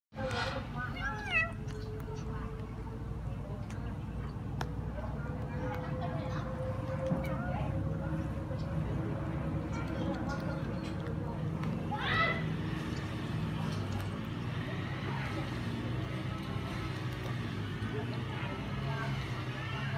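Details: Hungry baby kitten meowing while eating: a quick run of short, rising meows at the start, then one louder sliding meow near the middle, over a constant low engine-like rumble and a steady droning tone.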